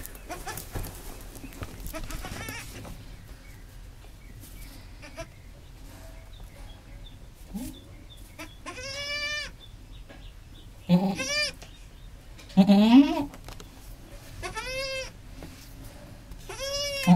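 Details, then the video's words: A mother goat that has just given birth, with her new kid, gives a series of wavering, nasal bleats, with a soft murmuring voice at first. "Momma goat just had her babies and makes the sweetest sound."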